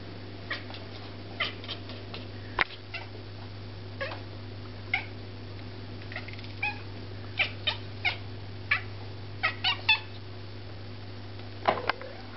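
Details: Devon Rex cat talking to a bird: a string of short, soft clicking chirps and brief chattering bursts, scattered irregularly with a louder drawn-out note near the end, over a steady low electrical hum.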